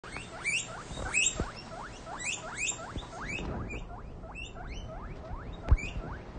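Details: Baby female guinea pig finding her voice, loudly wheeking: a steady series of shrill, rising squeals, each sweeping upward, repeated roughly every half second, over a low background rumble and one sharp knock.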